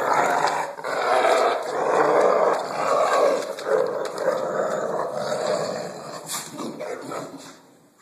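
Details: American Bulldog named Blue at play, sustained throaty growls rising and falling in long waves over about seven seconds, fading out at the end, with faint background noise.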